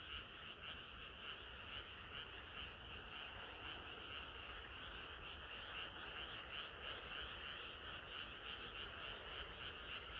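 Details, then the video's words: Many frogs croaking on a warm summer night, overlapping buzzy pulses in a loose, uneven rhythm, softer and more blurred, with a steady background murmur. "개구리들의 합창은 끝이 없어라"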